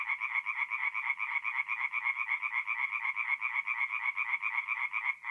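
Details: Singing tree frogs at a North-East Italian forest pond by night in April, a very quick rattle of nasal pulses, about four per second, steady and loud throughout with several frogs overlapping.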